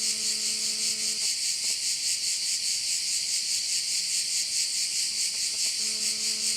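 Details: Shrill cricket chorus over a bay in Korčula, Croatia, a continuous high hiss throbbing in regular pulses about twice per second. A low steady tone with overtones sounds at the start and returns near the end.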